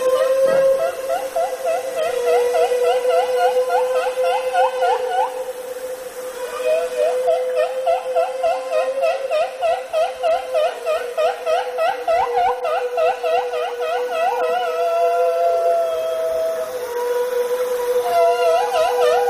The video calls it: killer whale (sound of a killer whale)